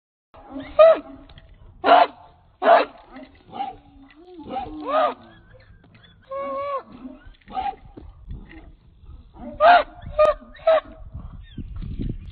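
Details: A 66-pound American Pit Bull Terrier of Redboy Jocko lines, held on a chain, gives sharp broadband barks in bursts, with quieter rising whines and whimpers between them and a short tonal yelp near the middle.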